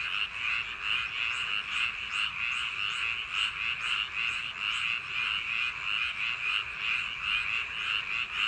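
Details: A summer-night frog chorus from paddy field banks: countless frogs give rapid, buzzy croaks that merge into an unbroken, evenly loud wall of trilling sound.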